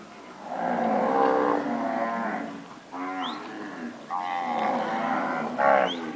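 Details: Nelore cows of standard pedigree (PO) that have recently calved, mooing: long, harmonic-rich moos, one running about two seconds and a second near five seconds, each followed by a shorter rising bellow.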